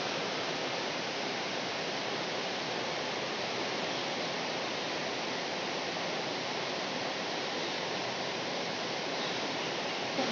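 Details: Even hissing broadband noise, like rushing water, runs throughout with no animal voice.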